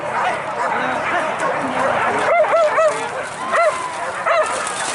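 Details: Hunting dogs chasing wild boar during a traditional pig hunt in Minangkabau, West Sumatra, Indonesia. Sharp, arched yelps ring out in quick bursts over a dense, restless chorus of many dogs, with a pause before more yelps near the end.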